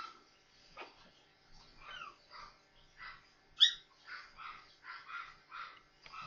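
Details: Four newborn Maltese puppies playing together, giving short high-pitched squeaks and whimpers in irregular bursts, a few sharper yips standing out midway.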